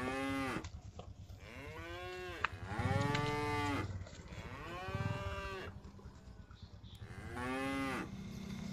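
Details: Cattle herded home in a group to the village pen, a series of overlapping moos of varied length and pitch, some short and sharp, with low background rumble and a brief click.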